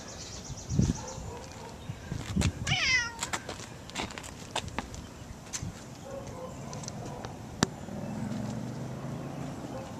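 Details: Pet cat named Gato roaming around a yard and house gives one short, wavering meow near the third second, its harmonics stacked and bending downward, among scattered clicks, light thumps and steady outdoor background hiss.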